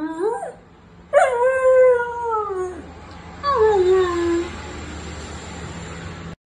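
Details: Talking Siberian Husky, a pet indoors, gives three drawn-out vocal phrases: a short rising yelp, then a long howl that rises and slowly falls, then a final wavering note sliding down. A faint steady hum runs underneath.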